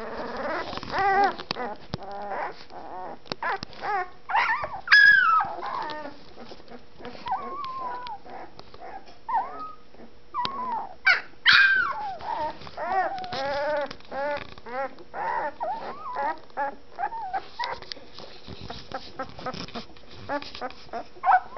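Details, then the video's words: One-week-old fawn Anatolian Shepherd Dog litter, eyes still closed, just starting to find their voices: overlapping squeaky whimpers, rising and falling squeals and short grunts from several pups, irregular and continuous. "1 week old Anatolian Shepherd Dog litter - Fawns are talkin'"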